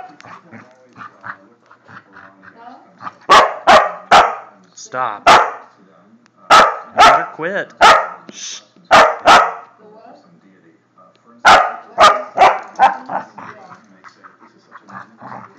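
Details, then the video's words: Border Collie barking during a play attack, with sharp loud barks in clustered bursts around 3–5, 6–9 and 11–13 seconds, mixed with a person's voice telling the dog to stop, indoors. "Border collie attack!"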